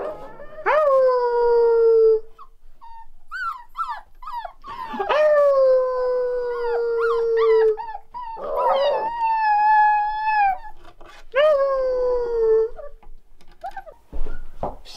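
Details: Several one-month-old Rottweiler puppies in a litter howl in chorus, each drawn-out howl starting high and sagging gradually, with short yips and whimpers between the longer howls.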